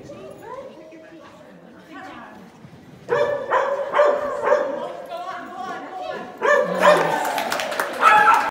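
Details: Pyrenean Shepherd named Banjo at agility: quiet whines at first, then a burst of rapid, sharp, high yapping barks from about three seconds on, over human speech and clattering noise.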